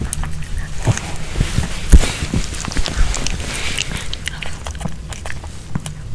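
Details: A Pomeranian eats a homemade kebab of chicken hearts with bell pepper; uneven wet munching and crunchy bites, roughly one per second, with a few stronger clacks over low background rumble.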